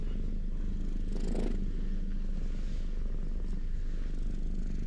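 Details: Ginger community cats lounging in a cat shrine's parking lot in Japan, purring steadily while being stroked, recorded close up on a GoPro HERO8; a continuous low rumble with faint rustling.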